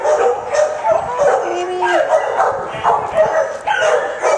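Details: A dog barks in a busy run of harmonic bursts, several close together in under five seconds. A brief steady tone sounds midway, and people talk nearby.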